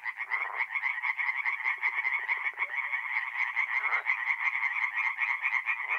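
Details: Night chorus of tree frogs at a north-east Italian forest pond in mid-April; many overlapping rasping croaks in quick rhythmic pulses, with a brief run of softer rapid clicks partway through.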